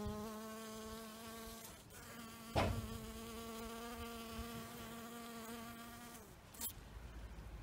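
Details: Australian recording of an introduced European honeybee working magnolia flowers: a sustained droning buzz with stacked harmonics runs steadily for about six seconds, broken by a brief knock near 2.6 seconds, then fades out.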